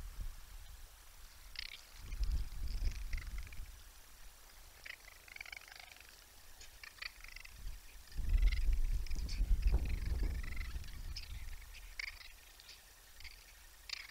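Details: Raccoons squabbling in a tiff before a live Texas wildlife cam: two bursts of low rumbling, purr-like growls with scratchy higher scuffling noise, set against steady outdoor hiss.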